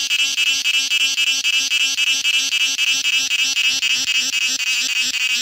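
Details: In summer in Kerala, a cicada's harsh, high-pitched buzzing drone throbs steadily in quick pulses, about four per second, never pausing.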